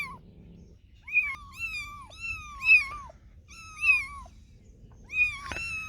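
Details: Cats and kittens give a handful of drawn-out, falling meows, some high and thin, spaced a second or so apart, ending with a sharp click-like noise.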